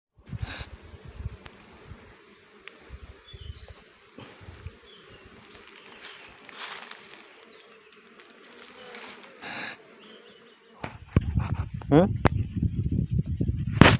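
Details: Honey bees during honey collection give a steady low, droning hum through the first eleven seconds, broken by clicks and handling knocks, before loud rustling and clattering noise takes over at the end.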